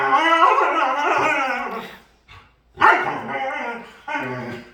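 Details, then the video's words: Playful dog producing drawn-out, harmonic, moaning howls, one long cry over two seconds, a brief pause, then two more wavering vocal bursts. "Cutest Dog Makes Hilarious Sounds While Playing"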